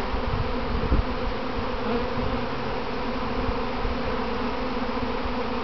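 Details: Honey bees swarming in practice around their home box, later returning to it; constant layered buzzing hum with a couple of soft low thumps and rustles.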